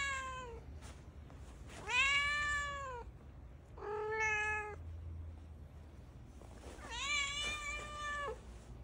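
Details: Indoors, a pet cat of cream calico-mix coat repeats loud, stretched meows, four calls in about nine seconds, each rich in harmonics and arching gently in pitch, over a faint low rumble.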